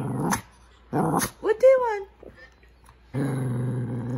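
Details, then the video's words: Shih Tzu dog vocalizing at its owner indoors, as if trying to talk: two short low growly bursts, then a rising-falling whiny yodel, a pause, and a longer sustained grumbling growl. "shih tzu talking"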